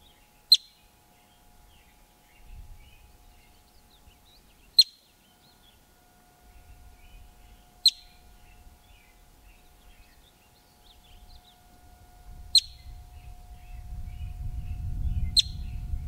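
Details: A yellow-bellied marmot just outside Yellowstone, where marmots frequent rocky hillsides, gives sharp, piercing alarm chirps, each one a single short burst spaced a few seconds apart.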